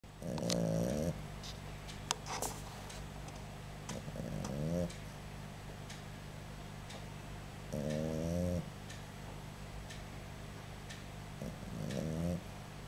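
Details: A sleeping boxer puppy snoring indoors: low, rasping, harmonic snores that rise and fall in pitch. Each lasts about a second and comes roughly every three to four seconds, with quiet breathing and faint clicks between them.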